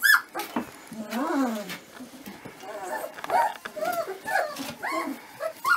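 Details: 25-day-old Dobermann puppies whine and squeal in short, high, wavering calls.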